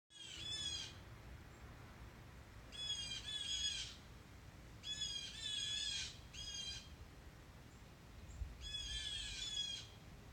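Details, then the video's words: An angry squirrel scolds in sharp, rapid chattering bursts, each about a second long. Five bursts come over ten seconds, with short pauses between them, over a quiet outdoor background. "Angry squirrel"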